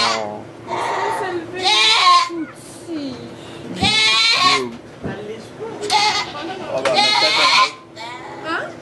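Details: Goat giving birth to two kids in a sugar shack, Chalet du Ruisseau on rang de la Fresnière near St-Benoît, Quebec, Canada, filmed on an iPod Touch: four loud, wavering, harmonic bleats, each about half a second, amid French conversation.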